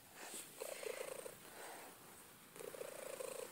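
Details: Cookie, a female pet cat, purring: two rumbling, finely pulsed bursts, each under a second long and about two seconds apart, with a soft hiss between them and a voice speaking to her just before.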